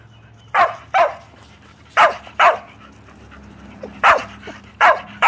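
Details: Shetland Sheepdogs, pet Shelties named Bella and Beetle, barking loudly and insistently because they want to play ball; sharp barks come mostly in pairs, six across five seconds, over a faint steady indoor hum.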